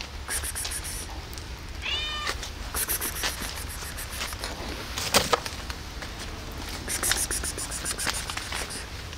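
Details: Lonely cat meowing for tasty food on a rainy day; one brief rising-falling meow near two seconds, mostly masked by continuous rain and loud dripping clatter.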